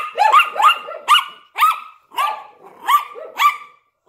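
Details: A Yorkshire Terrier barks at a window alongside a Lhasa Apso, giving high, sharp yapping barks repeated about twice a second.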